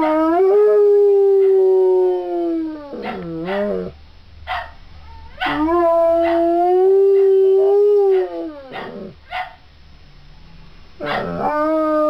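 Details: Three-legged dog Jerry howls along with a recording of three-legged Frankie singing; long steady mid-pitched howls of several seconds each, separated by short broken yelps and gaps.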